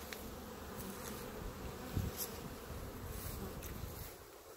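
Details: Honey bees clustered in a clump on the grass in front of their hives, giving a steady low droning hum with a brief thump near the two-second mark and some rustling.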